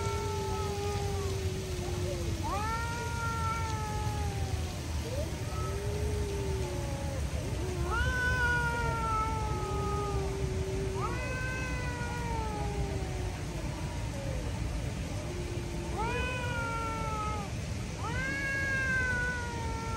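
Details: Two stray street cats facing off, one trying to scare the other, which stands its ground: long, drawn-out, wavering yowls, each falling in pitch and lasting a few seconds, repeating steadily over a constant low rumble of outdoor background noise.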